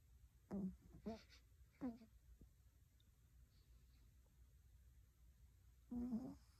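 A Pomeranian puppy snores softly, with short, low, slightly squeaky snorts at uneven intervals.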